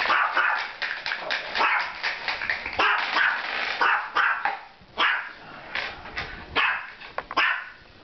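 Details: A Miniature Pinscher meeting two Maine Coon cats for the first time gives a rapid run of sharp, high-pitched barks and yips.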